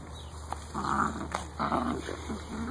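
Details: Eight-week-old Great Dane puppies giving short, tonal whines and low growly sounds in a few bursts over a steady low hum and faint high electrical tones.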